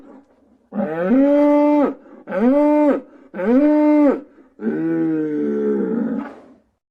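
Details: A cow gives four loud, drawn-out moos in quick succession, each rising then holding steady; cow moo.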